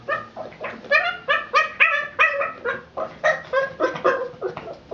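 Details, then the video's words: Boston Terrier upset over a ball rolled out of reach, producing fast strings of high, whiny yelps and barks, nearly four per second, rising and falling in loudness. "Boston Terrier Flipping Out"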